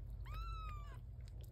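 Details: Newborn domestic kitten, indoors, giving a single thin, high, drawn-out meow that rises slightly and then falls, lasting under a second, over a steady low hum.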